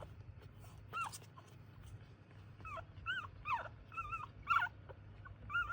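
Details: Several Chihuahuas in a family home make thin, rising-and-falling whimpers and short yips, about one per second, over a low background rumble.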